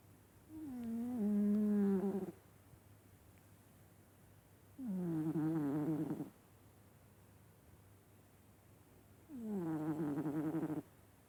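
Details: Loud snores from Vaska the cat while asleep: three drawn-out, low, nasal drones, each lasting one to two seconds, coming roughly every four and a half seconds in a steady breathing rhythm, with a faint hum underneath.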